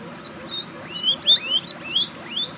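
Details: Guinea pig pups give high, thin squeaks, each quickly rising then falling and repeated several times a second, as they try to find their mother while she eats an apple slice.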